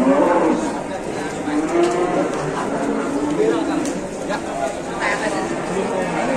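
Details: Big Indonesian cow giving faint, low, drawn-out lows that waver in pitch, partly buried under broad background noise and a little chatter.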